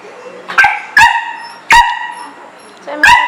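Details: Pet dog, one of two named YY and Zeggy, barking indoors on a rainy day because it wants to go outside to play; four sharp, loud barks at uneven intervals against a quiet room.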